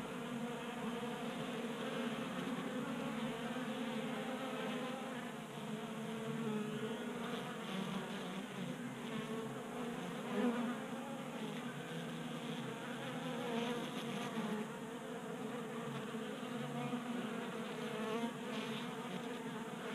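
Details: A crowd of honey bees buzzing around a 3D printed feeder on a garage workbench in Colorado in January, the drone thick and shifting as individual bees pass closer, with occasional soft knocks.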